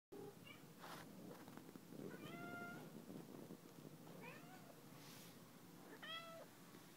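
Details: Pet cat Molly meowing around a condo: several short, clear meows with stacked harmonics, rising then falling, scattered over seven seconds amid low room noise.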